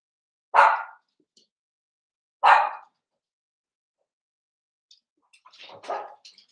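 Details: Seven-week-old blenheim Cavalier King Charles Spaniel puppies, a litter of five born at New Year's, in an indoor puppy pen: two loud, sharp barks about two seconds apart, then quieter scuffling and soft yelps.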